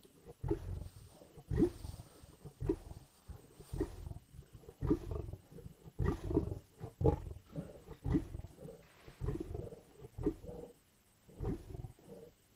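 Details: Lions in Indian bush snarling and growling over a carcass, a dense run of harsh, low rasping bursts roughly one per second, with no clear pauses between callers.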